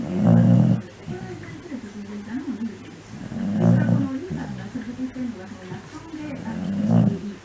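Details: Shiba Inu sleeping indoors in mid-August 2019, snoring: low, rough, rattling breaths rise roughly every three seconds, with softer wavering groans between them.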